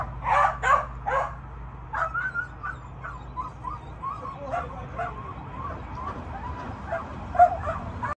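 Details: Jagdterrier during PSA training: a few loud sharp yelps at the start, then a string of high, wavering whines and short yips, with a steady low rumble in the background.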